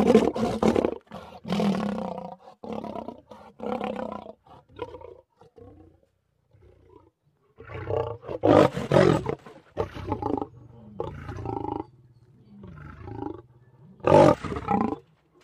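A lion gives harsh, rumbling growls in rough bursts, the sound made during mating.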